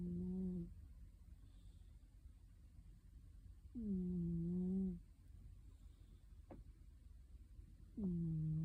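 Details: A sleeping cat snores softly under a kotatsu, heard faintly: low, tonal, humming snores lasting just over a second each, returning roughly every four seconds, with a brief click between them in a quiet small room.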